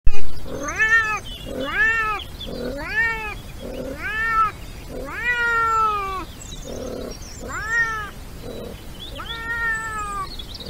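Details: European wildcat meowing during the mating season: a series of seven loud, drawn-out wailing meows about every one and a half seconds, each rising then falling in pitch, one longer than the rest, with softer low grunting notes between.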